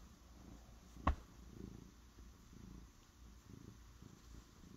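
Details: A cat purring quietly: soft low rumbling pulses, rhythmic with each breath, opened by a single sharp click or tap near the start against a quiet room.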